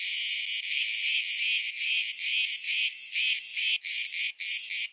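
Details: Cicadas near Lissos, south-west Crete, a camouflaged one among many others: continuous, intense, high-pitched buzzing with brief breaks toward the end.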